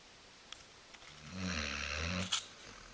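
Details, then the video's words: Female Basset Hound asleep on a couch indoors, snoring: a single long, rough, low rumbling breath lasting about a second, with a couple of faint clicks before it. "Snoring Basset Hound"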